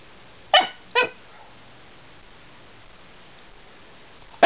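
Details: Casper, a year-old Alaskan Klee Kai, barks at Lily the cat because he wants her to play: two short, sharp yips about half a second apart, then quiet, with one more bark cut off at the end.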